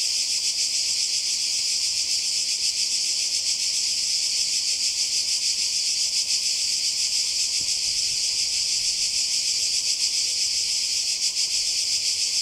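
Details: Summer cicadas by the sea in Croatia, 2020: an intense, unbroken high buzz, sizzling and steady, with slight rhythmic pulsing. There are no gaps and no other notable sounds.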